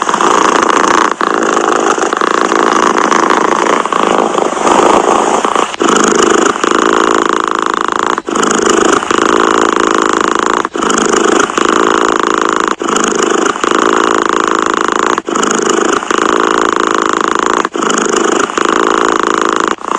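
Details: Cat purring: a steady, buzzy rumble of fast pulses, broken by short gaps every two to three seconds, about eight breaks over the stretch, with no other sounds.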